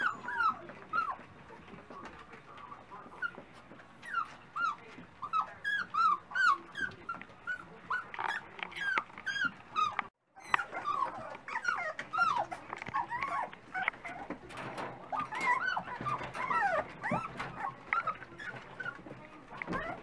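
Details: Several Dachshund puppies at breakfast time, a chorus of high whining and yipping squeals, many overlapping rising and falling cries with harmonics, brief silence near the middle, clatter of movement throughout.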